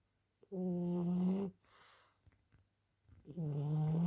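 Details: Snoring French Bulldog, asleep: a long, steady, low tonal snore, then a soft breathy exhale, then another rising snore begins at the end.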